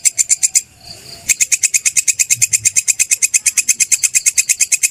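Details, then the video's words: Grasshopper, locally called belalang kecek or kerik, recorded as tutor audio for songbirds: loud, sharp, buzzy chirps pulsing about three times a second, broken by a brief pause near the first second, then resuming steadily. "Suara belalang kecek/kerik"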